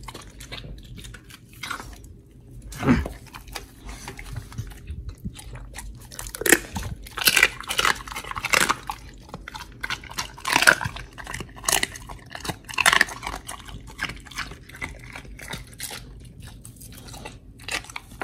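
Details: Oli, an American Pit Bull Terrier, eats a raw fish and steak meal indoors, recorded 4 August 2023; wet, crunchy bites and tearing chews come in irregular bursts, some sharp and loud, between quieter gnawing.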